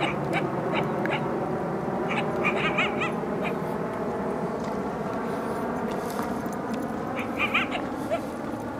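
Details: Two wild coyotes from a pack of five or six yipping near their den, trying to lure intruders away; clusters of short, sharp, wavering yips come in bursts early and late, under heavy broadband rumble from wind and handling.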